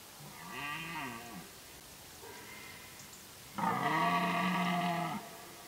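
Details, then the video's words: Red deer during the rut, when deer activity is at its peak: drawn-out harmonic moaning bellows, a rising-then-falling first call, a fainter one between, and a final louder, steadier bellow of about one and a half seconds. "Differnt deer during rut Rôzne jelene počas ruje"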